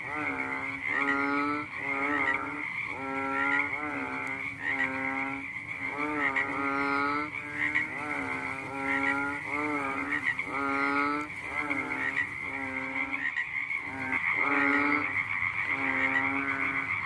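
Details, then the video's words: Frog calling at night: a run of nasal, harmonic croaks, each about half a second long, coming in quick succession and pausing briefly near the end, over a steady high-pitched drone in the background. "The sound of a funny fat frog sounded one night"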